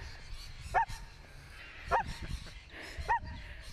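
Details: A female pet dog gives three short, sharp yipping barks, roughly one every second, each with a bright tone that bends briefly, over a low rumble of background noise.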